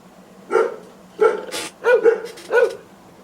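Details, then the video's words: Guard dog barking, played back as a decoy to scare away intruders: four loud, deep barks spaced roughly two-thirds of a second apart, each a short harmonic burst, over a quiet background. "Decoy Guard Dog Barking to Scare Away Intruders"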